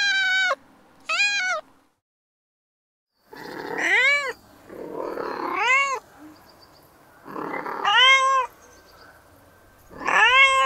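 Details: Cat in heat making mating calls: two short meows, a pause, then loud arching yowls that rise and fall, repeated about every two seconds with a rough, breathy edge.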